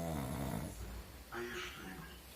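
A pug snores in its sleep with a low, rattling rumble.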